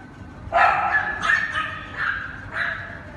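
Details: Cane Corso puppies from one litter, yelping in four short, high, harmonic bursts spaced about two-thirds of a second apart.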